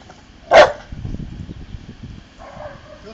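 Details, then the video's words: One short bark from Bonny, an Old English Sheepdog performing tricks in the garden, followed by low murmuring speech and a faint voice near the end. "Dog tricks - Old English Sheepdog"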